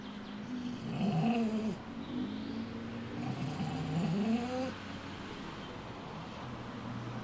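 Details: A rescued dog with a collar embedded in its neck, the skin rubbed raw from pulling at it, gives low wavering moaning cries. Two drawn-out, rising-and-falling moans run over a steady background hum.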